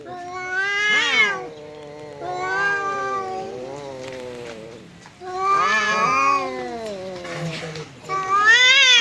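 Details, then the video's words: Domestic cat fighting with a visiting cat, exchanging repeated long yowls that rise sharply and trail off, four loud surges spaced a few seconds apart. "Kucing Berantem!! Kedatangan Tamu, KucingKu Langsung Pasang Badan dan Adu Mulut"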